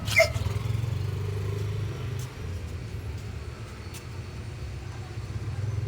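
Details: Low droning engine or traffic rumble throughout, with a sharp click near the start and a few faint ticks, but no animal calls.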